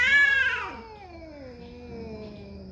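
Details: Territorial cat fight: one cat gives a sharp high yowl that slides steadily downward into a long low moan, harmonics stacked throughout, with a faint steady electrical hum beneath.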